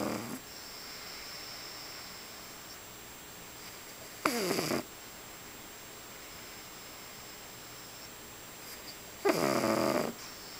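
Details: A pug snores while sleeping indoors: two loud, rasping, noisy snorts about five seconds apart, with quiet room hiss and a faint steady whine between them.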